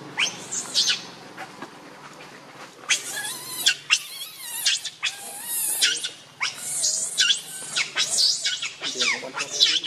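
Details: Baby monkey Leo Rainbow, hungry and angry, cries to its mother for milk: shrill, wavering screams in bursts that grow louder and more frequent after the third second, with a low steady hum underneath.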